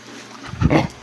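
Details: An Aspin dog gives a brief, low, rough grunting yelp of excitement as food arrives at mealtime while being told to sit and stay.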